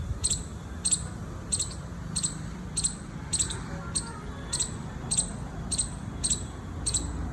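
A squirrel calls with a run of short, sharp, high-pitched chips, evenly spaced at roughly two per second. A low, steady rumble of background noise sits beneath the calls.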